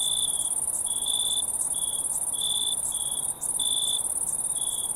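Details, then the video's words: A crowd of crickets in the wild: a steady, very high shrill drone runs throughout, with a lower trilled chirp in short bursts of about half a second, repeated irregularly. No other sounds. "Crickets in the Wild Sound Effect"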